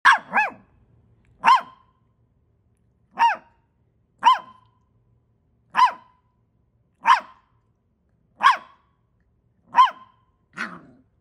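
A Samoyed puppy gives short, rising-and-falling yelping howls, about one every second or so.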